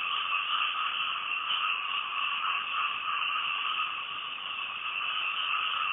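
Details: Night-time frog chorus captured from a house in Thailand, many callers overlapping into a continuous pulsing drone with a mid band and a brighter upper band, loudness wavering slightly but never pausing; no other distinct sounds.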